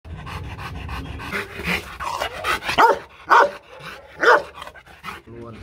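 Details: Rottweiler, a Vietnamese champion from a Hanoi breeding kennel, giving a level-one playful warning bark rather than an attack threat: three deep, loud, booming barks roughly half a second to a second apart, amid panting and background voices.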